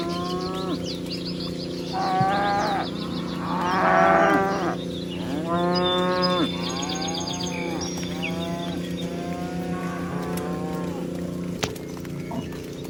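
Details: Dozens of cows herded across a meadow: a run of repeated harmonic moos from several animals, one roughly every second or two, some overlapping, with high bird chirps and a steady low hum throughout.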